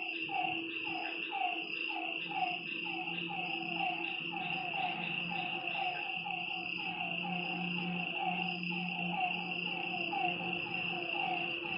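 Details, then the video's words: Night chorus of frogs beside a lake: quick pulsed notes, busy at first and thinning later, with a shrill constant insect drone above and a low, throbbing purr below. "Lakeside night creatures and frog sounds"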